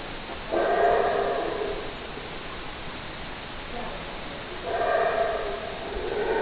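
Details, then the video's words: Howler monkey howling: two loud, rough, roaring bursts of about one and a half seconds each, separated by a quieter gap of steady background hiss. "Howler Monkey Scary Sounds"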